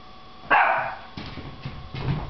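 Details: Boston Terrier puppy playing, giving one short sharp bark followed by softer scuffling and grunting sounds indoors.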